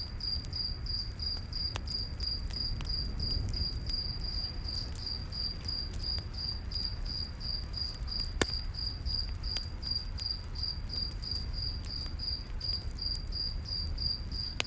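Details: Crickets in a night forest beside a crackling campfire, a steady high chirping pulsed about three times per second without pause, over low rumbling fire noise and sharp pops of burning wood.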